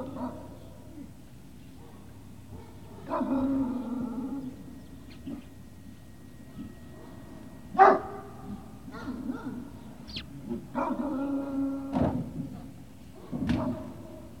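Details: Great Dane puppies at Puppy Hill, 18 November 2018, early afternoon: bursts of high, harmonic yelping barks and drawn-out whines in several separate bouts, with quiet gaps between and faint human voices in the background.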